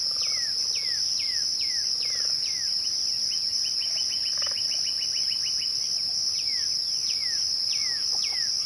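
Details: Crickets trill steadily and high at twilight. Spaced, falling whistle-like notes from another caller come over them, with a brief rapid burst of short clicks near the middle.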